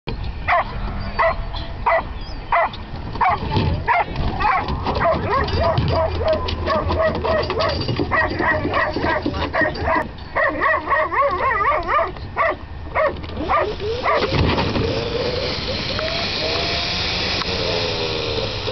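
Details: Whippets at oval-track NOTRA racing in Abbotsford, BC, filmed May 12, 2007: a steady stream of sharp, excited barks and high yips repeats rapidly over a rumbling background, with voices mixed in and a rising whining chorus near the end.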